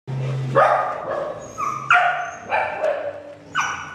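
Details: Dogs, a Doodle and a Portuguese Water Dog, playing together at daycare; sharp, high barks and yips burst out roughly every half second to second, with a low growl at the start.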